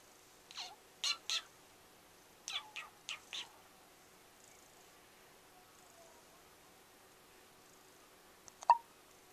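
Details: Pilchard, a small pet cat, gives short chirping calls, falling sweeps in two quick clusters, then near-silence before a sharp abrupt sound near the end in a quiet room.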